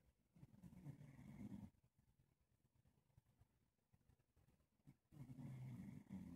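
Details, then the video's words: A male English Bulldog falls asleep with his chin resting on his owner's leg. He snores softly, with deep rumbling breaths separated by a quiet pause. "English Bulldog Snoring Softly On My leg"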